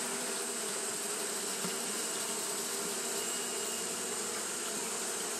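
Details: Japanese honey bees fan continuously on a hot day, their combined buzz forming a flat, sustained hum with low tonal bands and strong high hiss, steady across the whole stretch.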